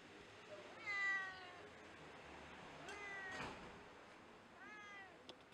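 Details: A hungry tabby street cat meows for cat food: three drawn-out, harmonic meows, the first near one second and loudest, a shorter one around three seconds, then a rising-falling meow near five seconds, with faint background hiss and a brief clatter.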